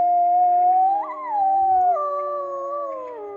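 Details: Wolves in an enclosure at Polarpark, an arctic wildlife park in northern Norway between Narvik and Tromsø, howl in long, smooth, overlapping tones sliding up then easing down, early on an overcast April day.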